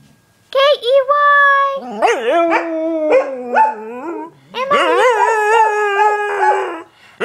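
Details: Pet dog howling while its owner sings the Mickey Mouse song: drawn-out, wavering tones slide up and down, broken into several long notes, with a human voice mixed in.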